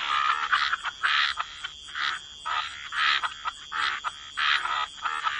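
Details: Gentle chorus of frogs at the waterside: grating croaks in distinct bursts about once a second, mid-pitched and buzzy, with a constant faint high ringing tone.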